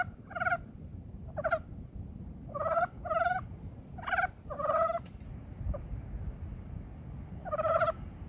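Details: Brown frogs in early spring giving scattered, raspy croaks, rapid trains of buzzy pulses repeated irregularly, with a sharp click midway and a quieter stretch before a final croak.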